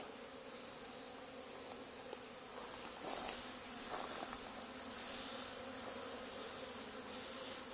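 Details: Swarming honey bees gathered on an old barn wall during a removal, two days after a neighbouring hive's cutout; a dense, continuous buzzing drone holds steady, swelling slightly midway, with light scratchy rustles.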